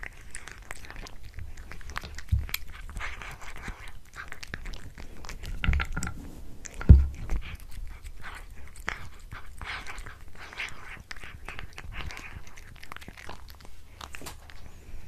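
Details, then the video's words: Indoor cat chewing a tuna mini stick: steady soft crunching and clicking over fifteen seconds, with a louder thump near the middle and a brief human murmur at the end. "Cat eating Tuna Mini Stick ASMR"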